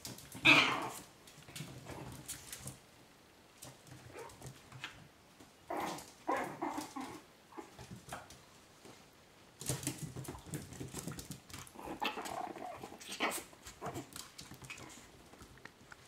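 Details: Chihuahua puppies from the 2012 Mia and Bacardi litter, heard indoors. Short, broadband yelping and whimpering bursts arrive in uneven clusters, separated by quiet gaps of a second or two, with a sharp loud squeal near the start.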